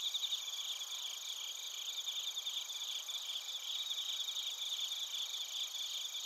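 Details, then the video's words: Bell crickets and other crickets form a dense, high-pitched chorus in Narita, Chiba, Japan, recorded with a TASCAM Portacapture X8: continuous bright ringing bands with quick tremulous pulsing throughout, slightly louder at the very start. "スズムシとコオロギの鳴き声 - Chirping of crickets"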